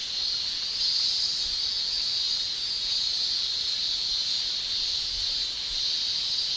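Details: Summer chorus of male Japanese cicadas in Japan: an unbroken, high-pitched shrilling hum made by tymbals, even and constant throughout, with faint low rumbles beneath.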